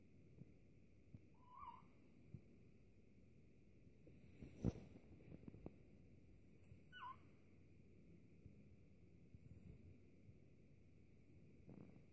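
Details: A French Bulldog puppy, crying because nobody will play with him, gives two short, soft, high whines, well apart, in a quiet room.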